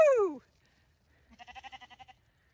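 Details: Male Zwartbles lamb on a regenerative farm in County Kilkenny, Ireland, just freed after getting his head stuck in a fence. A loud falling voiced whoop opens, then after a pause comes a short, quavering bleat pulsing about ten times.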